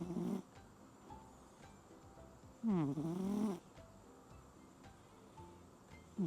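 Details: Pig-style snore from a sleeping cat during a Signal No. 10 typhoon night: a single rough, vibrating inhaled snore lasting about a second, framed by the edges of neighbouring snores and low background hiss.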